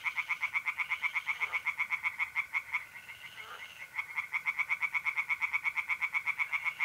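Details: Singing tree frogs by a pond on an April night in north-east Italy, a dense, rapid train of rasping pulses dipping briefly in the middle, with trilling mole crickets holding a steady tone.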